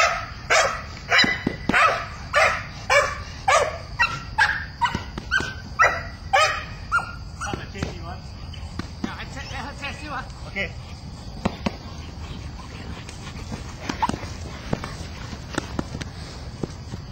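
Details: Belgian Malinois Mina barking during her first bite-work chase at the bad guy, a friendly bark; quick repeated barks for about seven seconds, then fading to scattered softer barks under voices and steady background noise.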